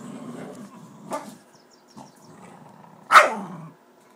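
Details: Two wild dogs fighting over a tiger: a low rumbling growl at the start, scattered snarls, then one loud harsh snarling burst that trails into a falling growl.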